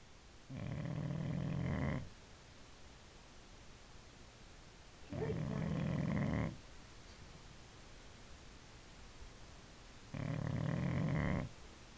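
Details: Female Boxer pet dog sleeping, producing three long, deep, rasping snores evenly spaced about every five seconds, with quiet room tone between.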